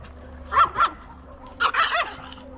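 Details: Old English Sheepdog puppy Benson yaps in two quick pairs of high, sharp barks, the second pair rougher and more drawn out, over a low constant hum.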